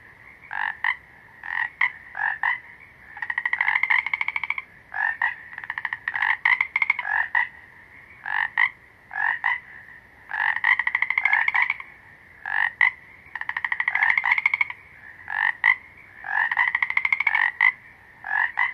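Frogs calling in quick pulsed bursts, a rattling croak repeated again and again.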